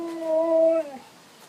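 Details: A dog indoors, one of three excited housemates playing before a walk, gives a single steady tonal whine that holds level, then drops and fades within about a second.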